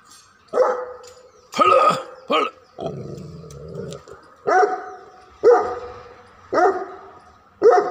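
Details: A dog barks in loud, abrupt bursts, about seven over eight seconds at an uneven pace. A low, rough growl-like rumble fills a gap near the middle, and a faint steady hum runs underneath.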